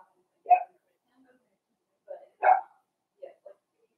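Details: Indoor puppy pen holding a litter of five blenheim Cavalier King Charles Spaniel puppies, born at New Year, on the day puppy Theo is collected: two abrupt yaps two seconds apart, each followed by softer short yips, in a quiet room.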